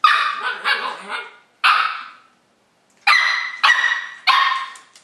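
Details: Five-month-old Löwchen puppy barking while trying to coax a cat into play: a run of sharp, bright, harmonic yaps, then a lone bark, a pause, and three final barks spaced about half a second apart.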